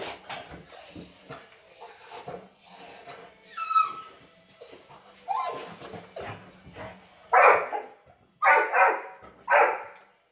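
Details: Dog greeting someone at a reunion: high, thin, sliding whimpers and squeals at first, then three loud, sharp barks about a second apart near the end, with people talking quietly underneath.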